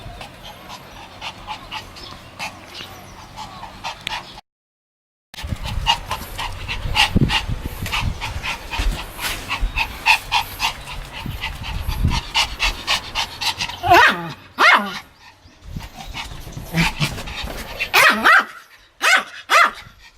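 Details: Pomeranian dog, recorded 1 May 2015 while pretending to bite: rapid panting and scuffling pulses, soft whines, and a few sharp yips toward the end, with a short silent gap early on.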